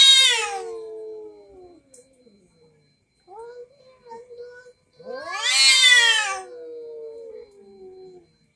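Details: Domestic cats quarrelling, an orange cat among them, their voices scary: a loud, harsh screech that falls into a moan, then softer wavering moans, then a second intense screech sliding down into a long drawn wail.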